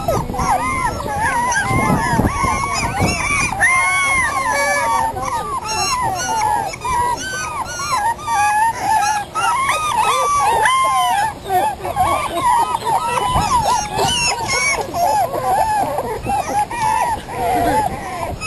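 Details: A litter of five terrier × Australian Shepherd puppies, 3.5 weeks old, out of doors for the first time, keeps up a constant chorus of thin, arching whimpers and squeaky yelps, many voices overlapping with brief dips between bursts.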